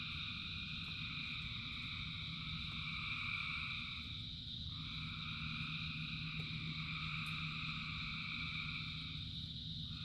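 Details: Rain-soaked frog chorus of thousands of callers: steady, buzzing high-pitched trills layered thickly, with slight swells and dips in one band around the middle, over a low patter of rain.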